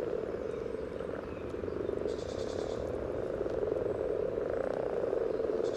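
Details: Common frogs calling during spawning by the yellow trail in Sunnersta, Uppsala, recorded with a parabolic reflector and Olympus LS14: a thick, rolling low croaking chorus throughout, with a brief faint high buzz near the middle.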